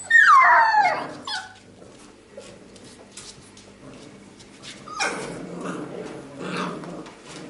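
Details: Labrador Retriever puppies of a B litter playing calmly together and fooling around; one loud descending whine or yelp at the start, then soft rustling and scuffling with faint brief yips.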